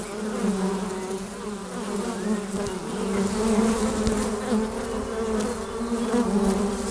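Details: A hive entrance with honey bees in flight gives a thick, unbroken buzz. The drone builds gradually louder midway and stays full to the end.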